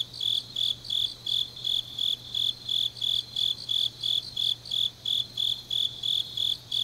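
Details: Deep-night autumn grass insects recorded in Changnyeong, Gyeongsangnam-do, Korea, repeating shrill ringing chirps about three per second in a steady rhythm, with slight overlap from other callers and a low background hum.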